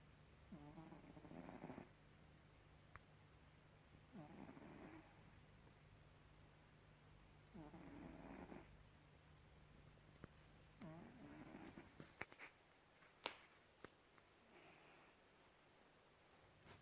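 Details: A domestic cat snoring indoors: rough, breathy snores in regular bursts about every four seconds, each lasting roughly a second, with soft purring texture; a few sharp clicks and knocks near the end.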